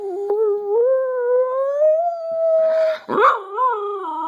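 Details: Jaffa the pet dog joins its owner in pack howling: a long tonal howl rising slowly for about three seconds, then a short break and a lower wavering howl.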